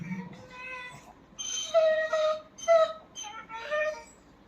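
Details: Dachshund named Kiko, a pet dog, 'talking' back when called by name: a series of drawn-out, tonal whines and yowls, some rising then falling, in short bursts about a second apart, with a person's voice calling the dog's name between them.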